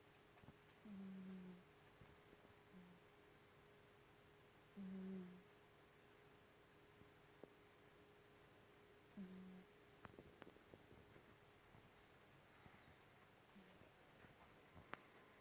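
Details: Henry, a pet cat, snoring in his sleep when very tired: soft, low, short humming snores about every four seconds, three clear and fainter ones later, over a steady faint hum and a few small clicks in a quiet room.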